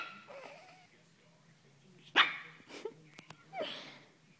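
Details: Pekingese dog barking while playing with a blanket indoors: one sharp, loud bark, followed by two softer, shorter barks about half a second and a second and a half later, with a woman speaking afterwards.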